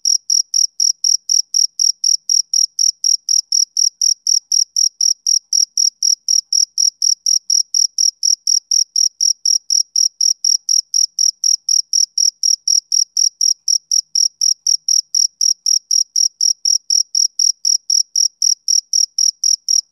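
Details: Continuous male cricket song: a long unbroken run of sharp, high chirps repeating about four times a second with metronome-like regularity, no other sounds present.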